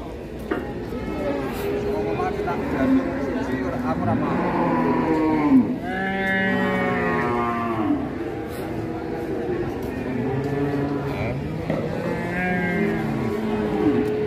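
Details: Calf on the rampage as its rope is released, bellowing several loud, rich moos that rise and fall, with music and human voices in the background.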